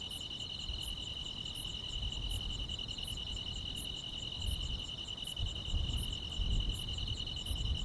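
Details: Grass insects singing on a summer night, a dense, even high trill sustained throughout while bright ticking pulses repeat steadily about twice every second and a half, with a muffled low background rumble.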